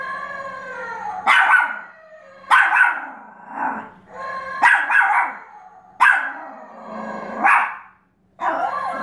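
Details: Pomeranian barking at a flashlight that plays animal sounds, with drawn-out, half-howled barks in pairs repeating roughly every one and a half seconds and a steady low electronic hum between them.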